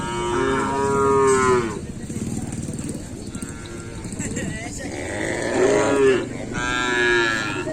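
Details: During kerapan sapi race training on the Asemanis track in Pamekasan, cattle give three drawn-out moos, each over a second long, with a muffled gap of voices and outdoor noise between them.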